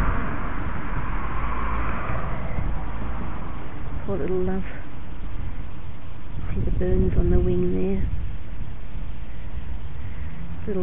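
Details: A voice speaks in short phrases over a constant low outdoor rumble; no animal sounds are heard.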